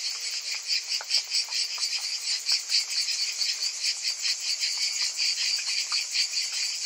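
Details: Many cicadas buzzing on a summer day: a shrill, throbbing whine that pulses quickly and steadily, with faint scattered clicks beneath the dense insect chorus.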